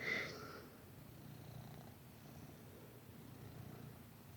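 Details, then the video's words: Sir Titan, a pet cat, napping and snoring; a soft, low rumbling breath repeats steadily under a quiet room hush, after a brief sound at the start. "Cat Snoring Loudly"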